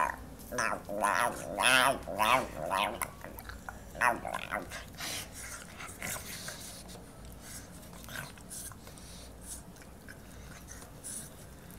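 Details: Excited pug making strange alien-like noises as if about to speak: a burst of wavering, moaning and squeaky tones in the first three seconds, then quieter scattered grunts and sniffs indoors.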